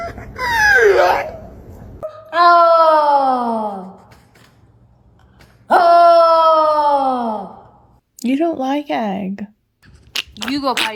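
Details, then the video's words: Pet dog making strange, unusual noises indoors: drawn-out wailing moans that start high and slide downward, two sustained ones of about two seconds each, followed by shorter broken yelps and groans, with a person speaking nearby. "The dog made strange noises"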